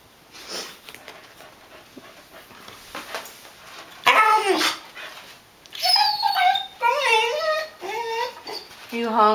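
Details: Hungry Wheaten terrier Molly, on a diet, starts with a sharp yelp and then a run of wavering, sing-song whines that climb and dip, growing more insistent. Quiet speech and soft room noise come first.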